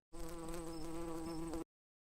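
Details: A bee buzzing: a steady, droning hum with many even overtones, held unbroken for about one and a half seconds at constant loudness, then cut off sharply.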